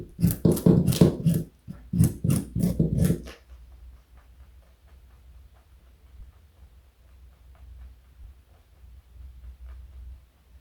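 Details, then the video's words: Joey, a pet rabbit weighing 4.6 kg and over 60 cm long, eating carrot indoors: a quick run of about eight crisp, crunchy bites over three seconds, then near silence with faint low room hum. "Joey is Eating Carrot and Yawning. Cute Bunny."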